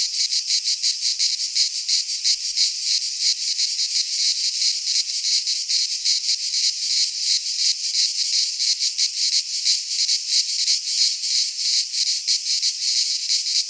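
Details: In a Greek pine forest at the height of summer, many cicadas keep up a loud, continuous rasping buzz that swells and fades in rapid pulses, about three per second, with no breaks.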